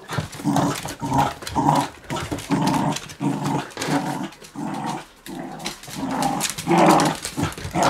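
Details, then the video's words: Two smooth fox terriers, a two-year-old and a five-month-old puppy, playing indoors with a pit bull on their fourth day together; rough rhythmic growls in bursts about every half second, rising and falling in loudness. "Fox Terrier in action"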